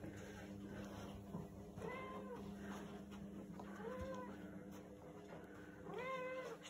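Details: Domestic cat giving three drawn-out meows, each rising then falling in pitch, spaced about two seconds apart, over a steady low electrical hum and faint background noise.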